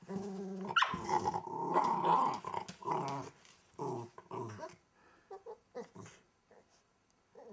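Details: Welsh Terrier puppy under a wardrobe in a small room: a loud, sustained, raspy growl, then shorter broken grumbles fading into brief quiet snarls.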